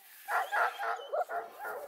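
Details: Male four-week-old Redbone Coonhound puppy, wrinkly and saucy, pushed out of the dog house by his littermates, near Kingston, Ontario, Canada; five or six short high yappy barks in quick succession, each under a quarter second.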